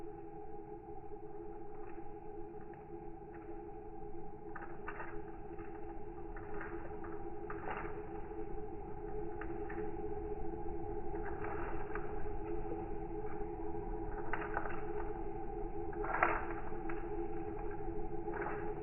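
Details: Crickets, slowed down in slow motion, become a low, steady droning hum beside the sharp crackles of a burning box.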